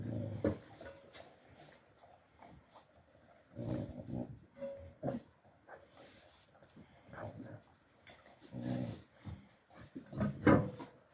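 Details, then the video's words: Alabai puppies, young, filmed in winter 2023, making short low grumbling growls and snorting noises in scattered bursts, with a louder rough outburst near the end. "alabai dog156#alabai#puppies young in winter 2023"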